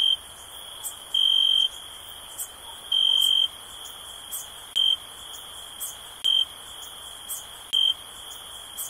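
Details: Relaxing cricket sound: a continuous shrill trill with louder high-pitched pulses of uneven length, two long ones followed by several brief chirps, spaced about one and a half seconds apart, with light clicking.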